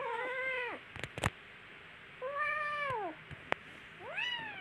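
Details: Kittens playing with each other, giving three drawn-out meows, each arching and then falling in pitch, spaced about two seconds apart, with sharp clicks and knocks from play in between.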